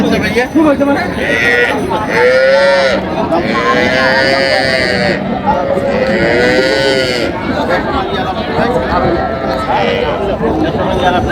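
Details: Cattle at the Raniganj livestock market in Dinajpur, Bangladesh, on 27 July 2025, among improved-breed dairy cows and calves; several drawn-out, arching moos repeat every couple of seconds beneath constant loud talk and bargaining from the crowd.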